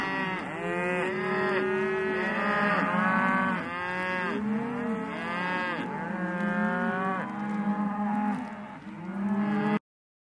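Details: Hereford and Careta calves, males and females, in a sale lot, mooing in a crowded chorus of short arched bellows, several per second overlapping, before the sound cuts to silence at the end.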